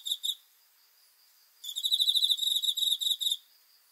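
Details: Night crickets give a rapid high-pitched pulsed chirping, a brief burst at the start, then about a second of silence before a longer trill lasting close to two seconds.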